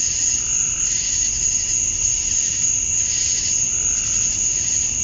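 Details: Cicadas at dusk on a summer evening in Georgia, USA, males chirping to draw females. Unbroken high-pitched ringing over a lower buzz that surges twice in five seconds, with a faint murmur at the bottom.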